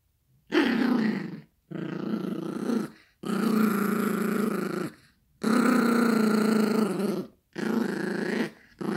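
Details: Yorkshire Terrier puppy play-growling over a dog toy during a game indoors; long sustained rumbling growls lasting one to two seconds each, broken by brief pauses for breath, six bursts in a row.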